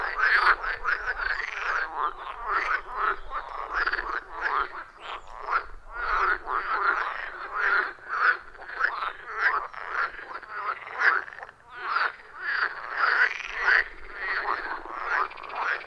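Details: Loud chorus of wild frogs calling around a forest pond, recorded in real time with a phone and external microphone: dense overlapping croaks, rhythmic and continuous, with many callers pulsing together and no music or talking.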